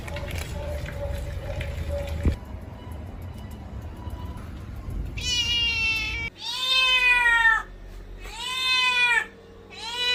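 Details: Kittens meowing; after about five seconds of steady background noise with a thin tone, loud high meows arrive, long and wavering, repeated with short gaps.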